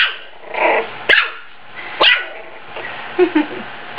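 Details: Small dogs, a Yorkie and a Maltese, during a speed-eating contest: a few sharp, high barks spaced about a second apart, with a short soft yap between them.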